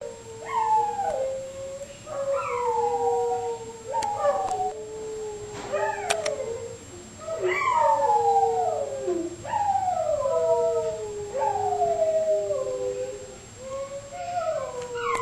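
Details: Two dogs howling together on a sunny morning, around 2005, for no known reason: long wavering howls that rise, then slide downward, overlapping in repeated waves about every two seconds, one voice higher than the other.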